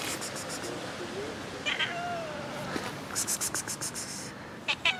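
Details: Cats meowing after rain: faint, thin meows, including one drawn-out level tone, among repeated trains of sharp clicking bursts over steady background hiss.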